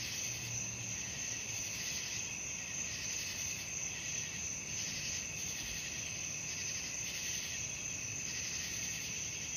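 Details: Evening cricket sounds for sleep: a thick, high, ringing trill pulsing in regular soft waves, a brief low hum at the start, otherwise calm.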